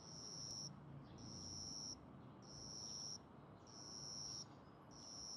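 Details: Small juvenile cricket indoors, wings raised, singing as in a territorial dispute: five sustained, piercing high trills of roughly a second each, evenly spaced with brief pauses, against faint low household background noise.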